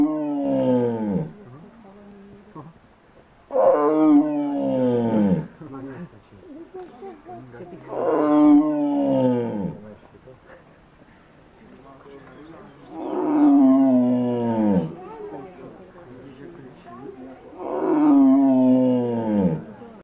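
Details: Tiger at Ostrava Zoo giving a series of five loud, deep, moaning roars, each about one and a half seconds long and falling in pitch, spaced roughly every four to five seconds, with low rumbling between them.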